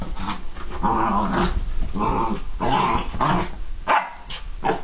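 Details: Excited puppy barking and growling in a rapid series of rough, gruff yelps, bursts coming about every half second with short gaps between them.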